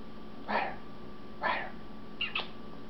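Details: Two domestic cats clashing as the resident cat asserts dominance over a visiting cat staying for the week; three short harsh bursts about a second apart, the last a quick pair of higher cries, over a faint steady hum.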